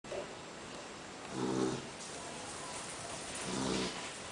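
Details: Female poodle napping indoors after a meal; her loud snoring comes as two broad, throaty rasping breaths about two seconds apart over a steady low hiss.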